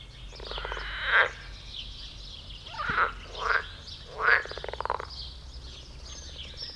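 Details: Several frogs mating and jumping in a garden pond, giving rough, pulsed croaks in irregular bursts of about a second, four main croaks with gaps between.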